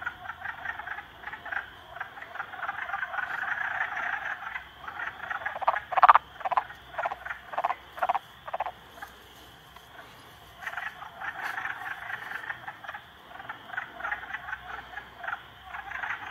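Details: Three frogs bullying a salamander call in rattling pulsed trains, about two croaks a second at the loudest stretch, with a pause near the middle before dense overlapping chorusing resumes; quiet hiss underneath.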